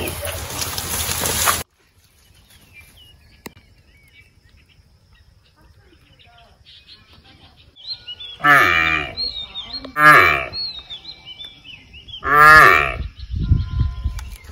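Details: Among resting buffaloes, a buffalo bellows three times, deep, drawn-out harsh nasal moans a couple of seconds apart, after a burst of noise, with faint bird chirps between the calls.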